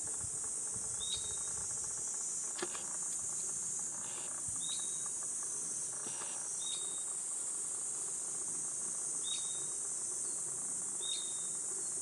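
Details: Cicadas on a 37°C summer morning, 23 July, along a forest walking path in Gifu Prefecture's Hyakunen Park, Japan: a steady, shrill, high buzzing drone throughout, with short, sharp bird chirps breaking in every couple of seconds.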